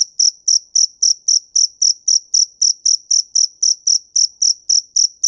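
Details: A single cricket gives a rapid, regular run of sharp, shrill chirps, roughly three to four each second, clean and close with a quiet background.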